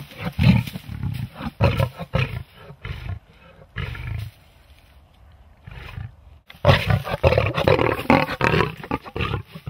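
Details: Big cats playing with Christmas presents, giving loud, rough roaring growls in bursts of about a second, with a quieter pause in the middle before a long, dense run of deep rasping roars.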